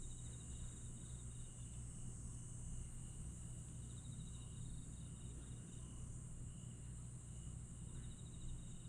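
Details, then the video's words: Aewol, Jeju, on the night of 22 July 2022: grass insects keep a sustained high-pitched ringing with recurring fast pulsed trills, while a low rumbling drone fills the background. "풀벌레 소리"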